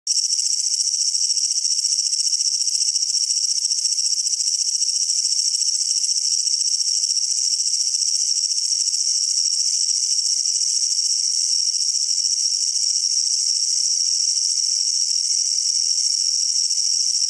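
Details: Japanese bush cricket (kutsuwamushi) calling: a loud, continuous dense buzzing trill made of rapid pulses, sustained without pause throughout, with no other sounds.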